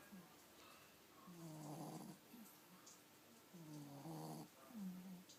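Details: Snoring from Pixie, a Miniature Pinscher nine weeks into pregnancy: deep buzzy intakes about every two seconds, broken by short whistling exhalations, in a quiet room.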